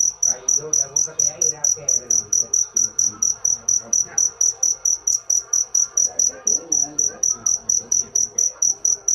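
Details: Steady cricket song of sharp, high ringing pulses repeated about three to four times per second throughout, clear and prominent above soft background murmur.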